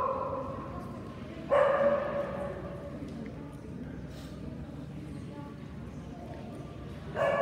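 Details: At a Kerry Blue Terrier national championship show in Ekaterinburg, 3 December 2017, a dog lets out one strong rasping bark, then after about six seconds of voices and hall chatter, a second bark begins.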